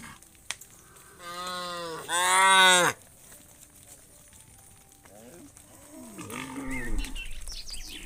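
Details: Tame cows of a herd of hundreds coming back to the farm pen at evening; two drawn-out harmonic moos, the second louder and rising, followed by softer wavering lows from other animals in the herd.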